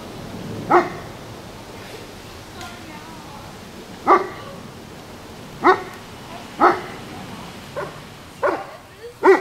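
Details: German Shepherd dog that nobody will play with, barking in short sharp bursts, about seven barks spaced irregularly, one to two seconds apart, over a low background murmur with faint voices.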